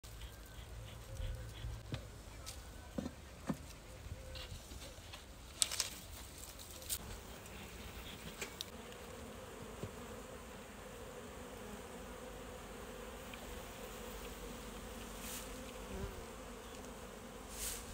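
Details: Honey bees at an open hive during an August summer inspection near Hoerdt and Strasbourg, France, under hot sun: a steady, dense hum with a low drone band, scattered sharp clicks and taps from handling the frames.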